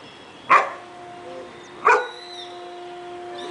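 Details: Great Dane named Scooby barking on command during dog training: two short, loud, deep barks about 1.4 seconds apart, with a faint steady hum behind them.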